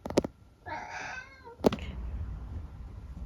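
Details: Eric, a senior tabby mix cat living with his family in the UK, talks back to his owner indoors: one drawn-out, harmonic-rich meow of under a second, bracketed by sharp clicks and faint room noise.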